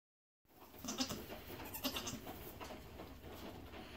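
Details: Newborn Nigerian Dwarf goat triplet kids, two does and a buck, born around 4:50 AM on 3/10/2018 after an easy labor; two short, high, nasal bleats near the start, then quiet background hiss.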